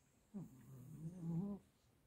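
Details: Borzoi snoring during REM sleep: one drawn-out, low, rumbling snore lasting over a second, with a buzzy harmonic texture that rises slightly toward its end, in a quiet indoor room.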